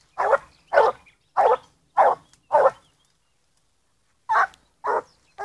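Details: Blue griffon bitch aged 14 months, working a wild boar scent trail, gives short loud barks, five in a quick regular run, a pause, then three more.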